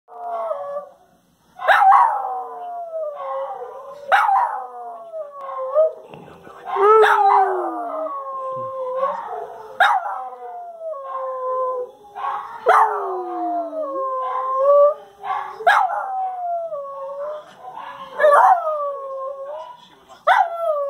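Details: Dogs howling together in response to the noon whistle, which sets them off every time; overlapping wavering tones rise then slide downward, repeated in drawn-out phrases about every two to three seconds, with yips between.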